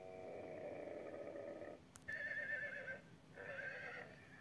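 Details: Horse whinnying: a long, steady, tonal call is followed by two shorter, higher, quavering whinnies with a brief pause between them, over a faint background hiss.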